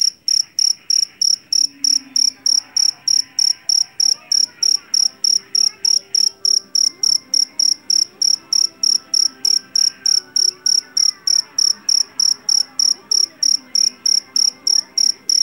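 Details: Jangkrik jeliteng, a Javanese field cricket caught in a rice field and known for its loud voice, chirps steadily. Its short, high, ringing pulses repeat about three times a second with even spacing throughout, over faint low background sounds.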